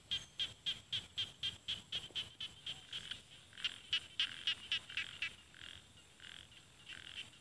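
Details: Rice frog in paddy fields of Isan, northeastern Thailand, giving a fast series of high, crisp croaks roughly four per second. Later notes overlap and blur into a chorus as other callers join, then fade to softer, spaced notes.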